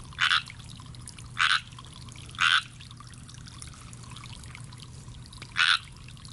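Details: Pond-dwelling tree frog calling out of sight: four short rasping croaks, the first three spaced about a second apart, then a pause before the last, with a soft low hum throughout.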